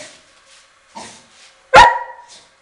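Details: Dogs trained to bark on the verbal cue 'speak' give one loud, sharp bark straight after the command, before any knock. The room is otherwise quiet apart from faint speech.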